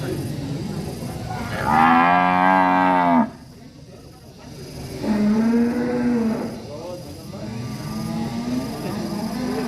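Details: Angry cow in a village setting, lowing in one loud, long, harmonic-rich moo near the start, followed by two softer, shorter moos; quiet background between calls.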